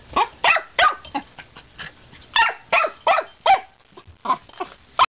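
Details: Male dog at the water bowl making a rapid, irregular run of about a dozen short, harmonic barking and whining bursts, some louder than others, with brief pauses between groups.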